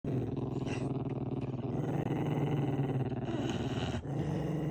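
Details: Pembroke Welsh Corgi born with a deformed foot, growling: a continuous low rumbling growl with steady pulsing texture, brief pauses near two and four seconds, faint higher noise above.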